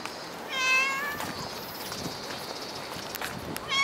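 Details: Cat in the Dockyard Garden on an August 2016 morning gives one strong, drawn-out harmonic meow that wavers slightly, then a short meow begins right at the end; light clicks and outdoor hiss fill the gap.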